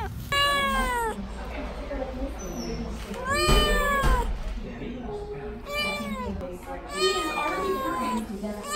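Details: Kittens and cats meowing, several drawn-out harmonic meows rising then falling, some overlapping, with a person talking in the background.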